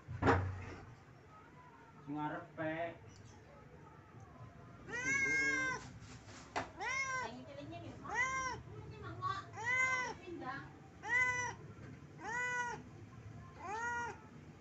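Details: Pet cat asking its owner for food. A person speaks briefly at the start. Then come about eight clear, repeated meows, each rising and falling, spaced a little over a second apart.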